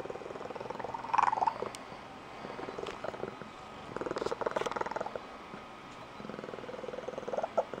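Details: Female Blue Point Tonkinese cat making her special squeaky, high-pitched trilling purr when excited; rapid pulsed purring swells in several bursts, with short squeaky chirps near the start.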